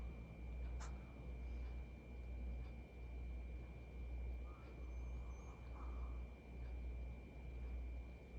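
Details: Jigeumi, a male pet Maltese, snoring while napping at home. Soft, rhythmic snoring breaths swell and fade about every two seconds over a steady low hum.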